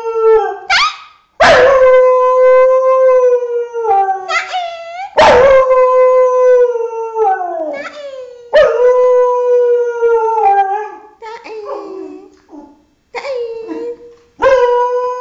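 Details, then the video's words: Six-year-old female Thai Bangkaew dog howling repeatedly: loud harmonic howls each begin with a sharp rise then hold and droop, spaced every few seconds, with shorter choppy yips and whines toward the end. "very funny dog howling!!!"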